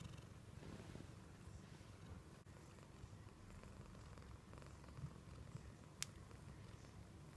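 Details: Indoor American Shorthair cat rumbling out a low, steady purr while being cuddled affectionately, unbroken throughout, with a single sharp tiny click late on.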